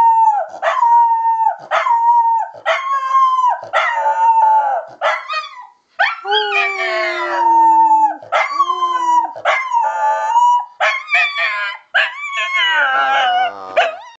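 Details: Three-year-old female Miniature Schnauzer howling along with a person: repeated long, quavering howls, some sliding down in pitch, others holding steady, with brief yips between them, and a rougher, more strained howl near the end.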